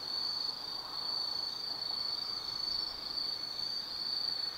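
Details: Night chorus of autumn forest insects at Tsukimi no Mori in Kaizu, Gifu, Japan, from a lookout over the Nobi Plain; one continuous piercing high-pitched drone with faint softer chirring beneath it.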